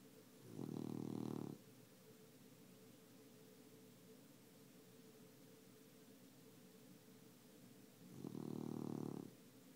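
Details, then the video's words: Sleeping tabby cat snoring: two slow, rasping buzzy inhalations about seven seconds apart, each lasting about a second, over quiet background hiss. "Tabbie Snoring"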